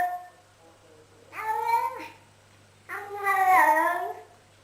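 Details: Domestic cat making weird noises: two drawn-out, nasal, harmonic meows, the first bending upward and the second wavering and longer, separated by about a second of quiet room tone.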